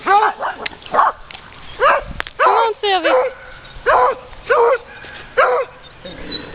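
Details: Puppy dogs met on a walk bark in short, high yipping bursts spaced about a second apart, mixed with a person talking and calling to them.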